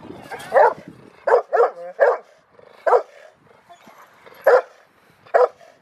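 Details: Female Rottweiler Freya vh Odoms at the Victoria Rottweiler Club, Australia, February 15, 2020, barking during training: about seven loud, separate barks, a quick pair near the start, then single barks spaced roughly a second apart.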